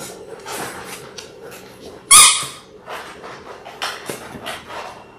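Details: Six-week-old Labrador Retriever puppies from a litter of six born January 18, 2022, filmed indoors on February 28; a single short, sharp yelp cuts through halfway, surrounded by soft scratching, shuffling and rustling from the litter.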